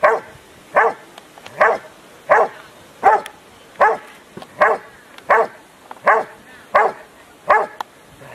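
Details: At a Rottweiler Club Italiano trial in Rome, 18 November 2012, the Rottweiler Huck dei Re Magi, in IPO3 section C, gives a regular run of powerful barks spaced under a second apart.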